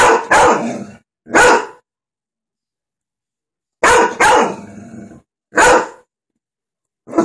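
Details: Golden retriever barking at the dogs on TV: a rapid series of about seven harsh, forceful barks, some in quick pairs, with short silent gaps and brief low rumbling after some barks.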